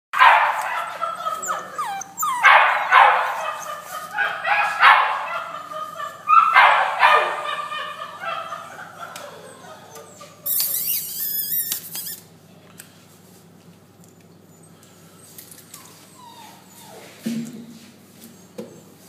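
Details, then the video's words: American Staffordshire Terrier barking in rough bursts, several loud harsh barks over the first seven seconds, then quieter; a brief high squeaky chirping passage follows before near silence. "American staffordshire"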